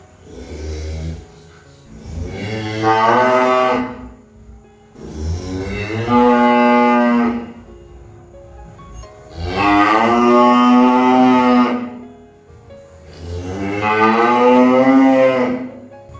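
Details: A cow lowing in four long, strong moos spaced about four seconds apart, each starting low, rising into a full harmonic bellow and tailing off.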